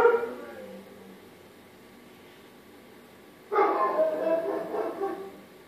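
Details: Dobermann puppies, four weeks old, at play: a short whimpering yip at the start, then after a quiet pause a longer, rougher stretch of overlapping yelps and squeals lasting about two seconds.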